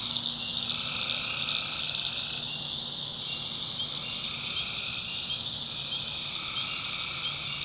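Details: In a North Carolina swamp at night, tree frogs keep up an unbroken high buzzing chorus, overlaid by mid-pitched notes rising and falling in swells every few seconds, plus a brief faint low hum early on.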